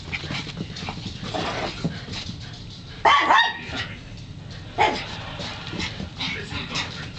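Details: Chihuahua running around excitedly and pestering a cat indoors, letting out two sharp, high-pitched yappy barks spaced a couple of seconds apart, with soft rustling and faint background noise between them.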